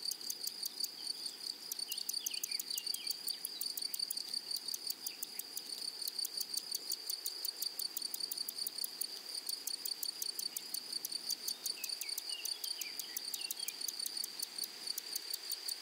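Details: Chorus of grasshoppers on a flowery prairie meadow: a sustained shrill tone with a fast, steady pulse train running throughout, while soft descending chirps drift in now and then.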